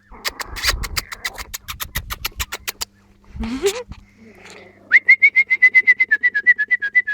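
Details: Four-week-old Jack Russell terrier puppies, filmed 28 July 2013: fast squeaky whimpers repeated about four times a second, a brief rising whine midway, then a steady run of high, slightly wavering yelps near the end.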